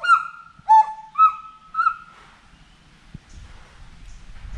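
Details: A forest monkey gives four clear, tonal hoots, each dipping and then rising, about half a second apart, before fading into faint rustling background noise.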